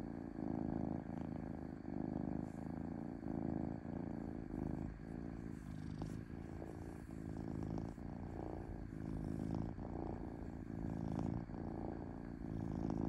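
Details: Cozy domestic cat purring, a soft deep vibrating rumble rising and falling in rhythmic breaths about every second, uninterrupted and calm.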